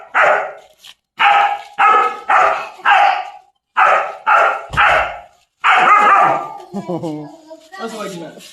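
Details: German Shepherd chained for the first time, giving a run of eight loud, harsh barks in quick succession, each about half a second long, followed by softer whining, tonal sounds.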